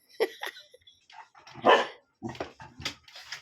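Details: An Aspin, the native Philippine dog, gives a run of short, high yips and barks in separate bursts. The loudest, longest yelp comes midway, followed by quicker, sharper yaps.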